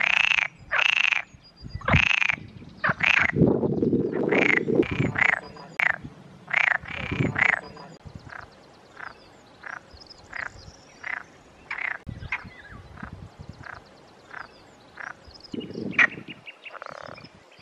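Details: Male Perez's frogs (Pelophylax perezi) with inflated vocal sacs call in chorus at a valley pond in the Montes de Toledo on a hot May afternoon, giving harsh, rattling croaks in quick, uneven bursts.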